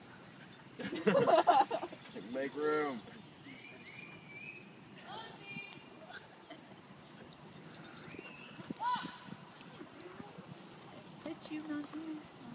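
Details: At a dog park, a Siberian Husky puppy named Thumper plays with another husky. A loud wavering howl-like yowl and a harmonic whine come early, then softer scattered whines and squeaks over a steady outdoor background.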